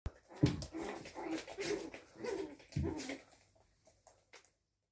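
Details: Angry Chihuahua puppy being corrected by its mother, indoors: a run of short, harsh, grumbling bursts over about three seconds, loudest near the start and end, then fading to a few faint soft sounds and silence.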